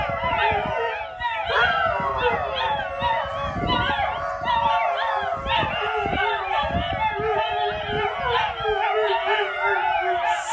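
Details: Kangal mother dogs and puppies in a yard, set off by one puppy, howl in overlapping rising and falling wails while the mother is separated from the pups at feeding time; occasional barks, a person's voice faintly beneath.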